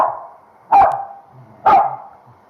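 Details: Corgi that hates shampoo and thrashes when dried barks twice, about a second apart. Each bark is short, loud and sharp over the constant drone of a hair dryer after her bath at home.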